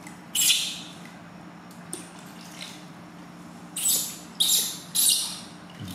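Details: Newborn baby monkey screaming shrilly while its new mother gently bathes it for the first time: one harsh high cry, a quiet gap, then three strident screams in quick succession, with a low background hum.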